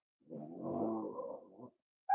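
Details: Cavalier King Charles Spaniel puppies snuggling indoors on a warm Friday morning, at a home raising emotional support animals; one low, harmonic, grumbling vocalization lasting about a second and a half, followed by a brief sharp sound right at the end.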